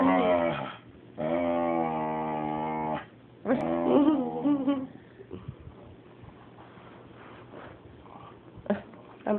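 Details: Jealous pet dog making talking noises while its owners pet the cat: a short whine, then a long steady harmonic moan, a wavering rising cry, and softer mumbling grumbles fading out, indoors.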